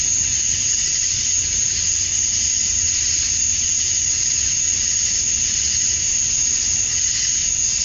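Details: Cicadas at dusk on a Georgia summer night, males chirping to attract females; a constant high, sizzling drone with a piercing steady whine riding above it, barely varying, faint rumble underneath.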